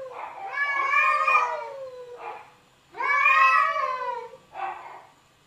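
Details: Cats in an argument: two long, wavering, harmonic yowls that rise and then fall away, each followed by a shorter, softer meow.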